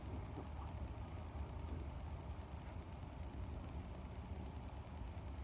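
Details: Cricket chirping: thin, high, even pulses repeated roughly three times a second. A loud, steady low rumble of air and growling noise sits beneath and dominates the mix.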